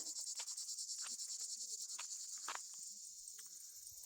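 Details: Cicadas buzz loudly in a continuous, high-pitched, rapidly pulsing drone on a hot summer evening at a camping spot on the shores of Lake Salagou, southern France, with a cool breeze off the lake.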